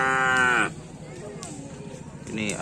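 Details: Cattle at a karapan sapi bull race, the Perang Bintang KASAD Cup, team Ser Naser: a loud, low, richly harmonic call held for under a second, then cut off, leaving murmuring voices and crowd noise.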